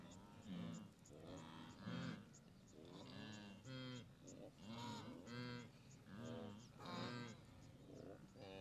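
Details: Blue wildebeest during the Great Migration at the Moru Kopjes, western Serengeti, observed 7 April 2012, herds as far as the eye can see; repeated nasal, honking grunts roughly every second from several animals, overlapping in a steady chorus.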